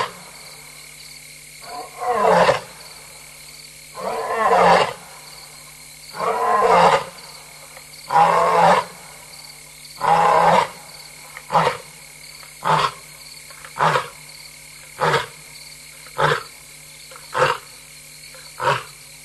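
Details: Restless lioness alone at night, 3:15 AM on 26 August 2022 in Tembe Elephant Park, roaring: about four long, deep, moaning roars, then around ten shorter grunts spaced roughly a second apart and fading, over a steady insect and frog drone.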